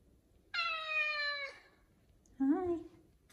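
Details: Five-year-old male F2 Savannah cat indoors in the morning, loudly demanding his chicken early: one long, steady, strongly harmonic meow lasting about a second, then a shorter, lower, bending call after a pause, in a quiet room.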